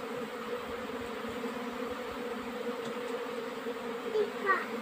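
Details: Honey bees during a summer nectar flow, a dense steady hum of many wings with a strong drone band and overtones, continuous throughout, a few faint chirps near the end.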